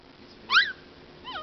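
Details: Small dog crying in a stroller at a park, giving one sharp high whimper that rises then falls, followed by a fainter second whine; quiet background.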